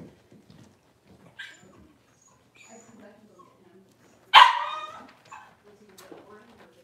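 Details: Cavalier King Charles Spaniel puppies, six weeks old, in a pen during deworming and toenail trimming. One sharp, loud bark stands out after soft scattered whimpers and quiet human voices in a small room.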